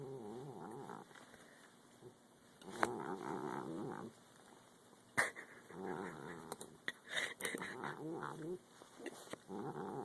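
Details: Domestic cat growling angrily while eating: low, wavering, throaty rumbles in long bouts with short pauses between, plus a few sharp clicks and knocks.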